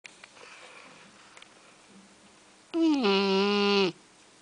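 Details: Shar Pei puppy Juno asleep on one of her quieter days, giving a single voiced, droning snore just over a second long that dips in pitch at its start, after a near-silent stretch of faint room noise.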